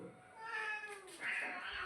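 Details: Domestic cat meowing twice in quick succession: a softer, level meow followed by a louder, brighter one that bends slightly downward, both tonal with many overtones.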